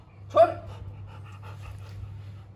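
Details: Golden Retriever at Panchal dog kennel, playing; a single short, high yelping whine opens, followed by soft rhythmic panting breaths, over a steady low electrical hum.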